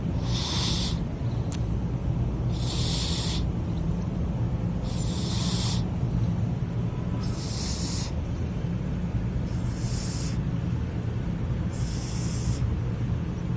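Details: Pizza the cat asleep and snoring, six rhythmic hissy breaths repeating about every two seconds, with a continuous low hum underneath throughout.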